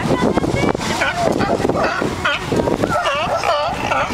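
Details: Noisy mass of sea lions fighting and singing, harsh rasping bursts followed by clearer looping, bowl-shaped wavering calls repeated in quick succession toward the end.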